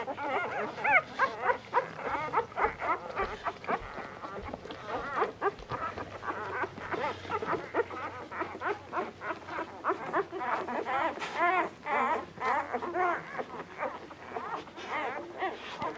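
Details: A litter of puppies competing to nurse from their mother at dinner time; continuous overlapping whines, squeaks and short yips with steady crowded chatter throughout.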